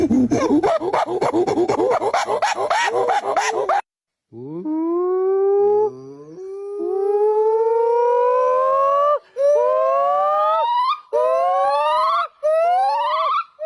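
Gibbon calling: loud, clear whooping notes that slide upward, repeated with rising pitch and pace.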